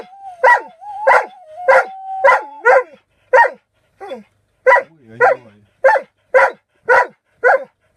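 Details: Alaskan Malamute singing: a run of short, bright yelping woo-barks about twice a second, some bending down in pitch, with a steady held tone sounding behind the first few calls.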